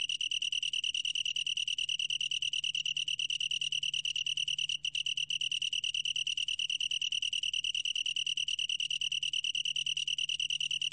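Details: Long-tailed tree cricket, recorded in 2020 by the National Institute of Biological Resources, giving a long, even, high-pitched pulsing trill that barely falters midway, over a faint low steady hum.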